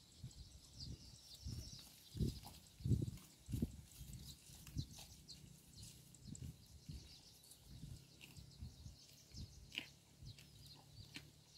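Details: A cow grazing roadside grass crops and chews in soft, low, rhythmic tearing and munching bursts, over a second apart.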